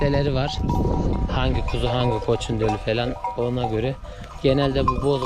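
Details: Akkaraman lambs just separated from their mothers, calling for them: a dense run of wavering, harmonic bleats, one after another with short gaps, several voices overlapping.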